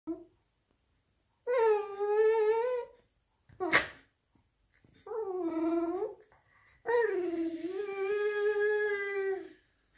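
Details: A male Cavalier King Charles Spaniel whines and moans in drawn-out, wavering tones, begging to eat his owner's bread.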